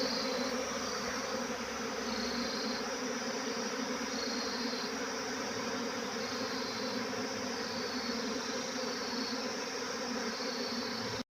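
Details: A swarm of honey bees fills the air with a steady, dense buzz, its high whine wavering up and down repeatedly over eleven seconds before cutting off abruptly.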